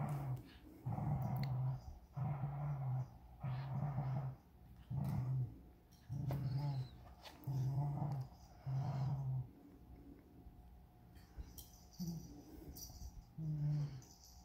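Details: Vizsla puppy, 61 days old, growling while playing tug of war with a unicorn toy: low rumbling growls in about eight rhythmic bursts, each roughly a second long, followed by softer, broken growling and scuffling.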